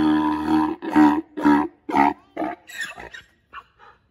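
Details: Adult male Grevy's zebra, seven years old, at Los Angeles Zoo, giving loud, harsh, harmonic braying notes about twice per second, then trailing off into shorter, wheezy, fainter notes.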